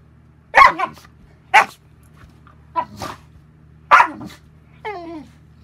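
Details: Boerboel father and son dogs barking: four loud, short, harsh barks about a second apart, then a higher, falling whine-like yelp at the end.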